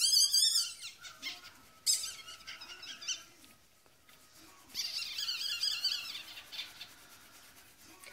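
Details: Newborn Yorkshire Terrier puppies indoors at a Michigan breeder during their mother's delivery: shrill, rapid high-pitched squeaks in a loud burst at the start, another brief cry near two seconds, then a second squealing run midway, with a faint steady tone beneath.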